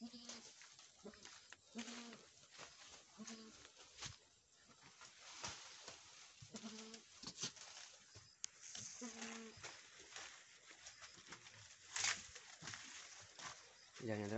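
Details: Boer goat bleats from a Nepal farm after a first-time doe's successful kidding of a male kid: short, nasal bleats, each under a second, repeated at irregular intervals over fourteen seconds, mixed with people talking and rustling noises.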